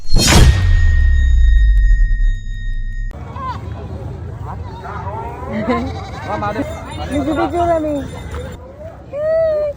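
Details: Many goats in Masbate, Philippines, wavering bleats rising and falling from several animals in the second half, overlapping with excited human voices and a loud thump at the start.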